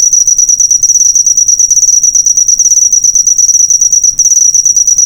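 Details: Cricket chirping, used as a master recording for training cage birds: a loud, continuous high-pitched trill of rapid pulses held steady on one tone, with no other clear sounds.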